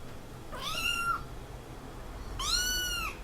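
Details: Kitten giving two meows about a second and a half apart, the first softer and rising in, the second louder with a gently arching pitch, over low, steady room noise.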